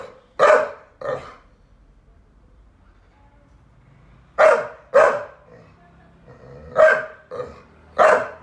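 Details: Complaining that Fred, a Staffy Ridgeback, stopped playing with her, rescued Saluki Lizzie gives a pair of barks, pauses about three seconds, then resumes with a series of rough barks.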